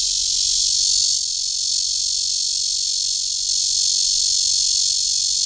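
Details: Courtship buzz of Cryptotympana holsti in a park in Zhongli, Taiwan, a relentless high-pitched rasping hiss that stays steady throughout, with only faint pulsing shifts in loudness.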